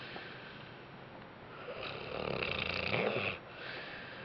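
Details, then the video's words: Bentley the dog napping after a rough day, letting out one long raspy snore that swells for about a second and a half, wheezy and breathy with a rattling edge, then fades back into quiet room hiss. "Snoring Bentley"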